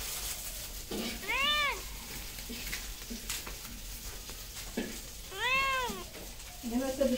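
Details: Cat meowing twice, each call a smooth arched tone lasting about a second, a few seconds apart, with a shorter chirpy vocalisation at the end and a constant hissing background.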